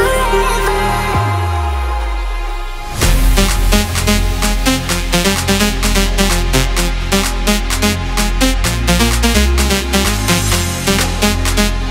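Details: Electronic dance music with a low sliding synth opening, then a driving fast beat and layered synth chords from three seconds on; no animal voices.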